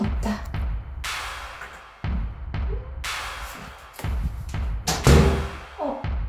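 Music with heavy thumping beats and knocks is heard, with no animal sounds.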